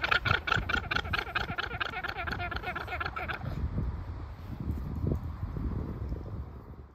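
A llama gives its alarm call, a rapid, rasping, engine-like braying in quick repeated pulses.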